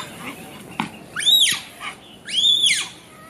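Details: Red panda, also called lesser panda, giving two arched, high squealing calls about a second apart, each rising then falling in pitch with a thin harmonic edge, between faint clicks and soft background rustle.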